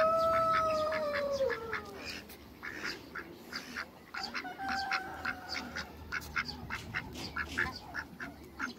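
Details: A pair of hybrid mallard ducks in a backyard: rapid, harsh, nasal quacks repeated roughly three times a second. Two long, smooth whistled tones slide downward during the first two seconds.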